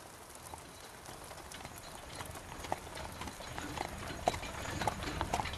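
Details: Horse pulling a carriage through rain, its hooves giving soft, uneven clip-clops that grow slightly louder toward the end, set against a steady hiss of rainfall.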